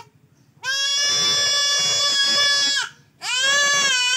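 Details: During castration, a male goat cries with two drawn-out, loud, shaky bleats, the first over two seconds long, the second cut off at the end, after a brief gap.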